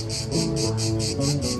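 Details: Cicadas at night give a high, hissing buzz that pulses about four times a second over soft background music.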